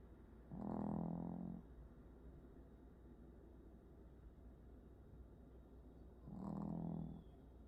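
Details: Sleeping dog snoring indoors: two long, low, rumbling snores several seconds apart over a steady background hum.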